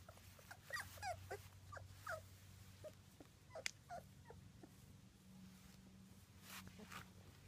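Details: Two-week-old British Labrador Retriever puppies from a litter of six, black and yellow, whelped in June 2015: faint, short high squeaks and whimpers scattered irregularly over a quiet, low steady hum.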